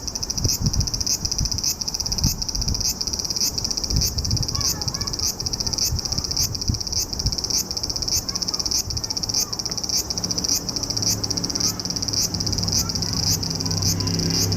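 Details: Cicada recorded in July, summer, in Japan: loud, high-pitched buzzing pulses repeating steadily about twice a second throughout, with a faint low rumble underneath.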